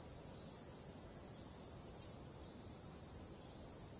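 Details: Crickets calling on a starry night with calm wind: a dense, steady, very high-pitched shimmering trill pulsing rapidly and evenly, several callers overlapping without pause, with only a faint low rumble beneath.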